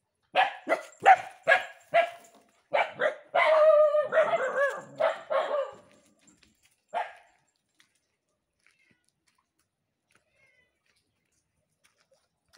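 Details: A dog barking at night while running: a rapid string of sharp barks, about two per second for six seconds, some merging into a longer harsh bark, then one last bark and quiet.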